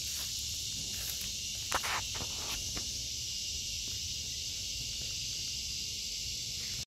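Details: Cicadas singing in an August 2023 vegetable garden, a steady high, hissing buzz that runs without break through the whole stretch, with a few footsteps and brief rustles near the start.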